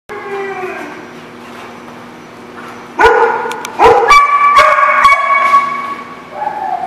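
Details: Dog recorded on 30 July 2016, a soft whine fading out, then loud drawn-out harmonic barks and yowls from about three seconds, several overlapping tones held for over a second, ending in a rising whine.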